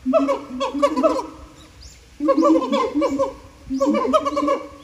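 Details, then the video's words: Siamangs singing in captivity at Japan Monkey Center, throat sacs amplifying their voices: three loud bursts of rapid, wavering hoots with strong overtones, separated by brief pauses. "歌うフクロテナガザル | Singin siamangs"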